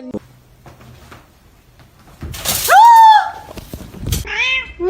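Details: Domestic cat from a funny-cat compilation giving a loud, drawn-out meow that rises then slowly falls, followed a second later by a shorter, higher meow, with people talking and laughing nearby.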